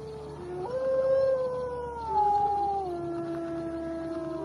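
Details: Gray wolf (Canis lupus), howl.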